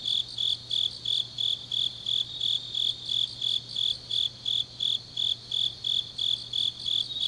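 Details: Deep-autumn nighttime chorus of grass insects at Changnyeong, South Korea: sharp, high-pitched chirps repeat nearly three times each second, steady and regular, backed by a softer insect shimmer and a faint low drone.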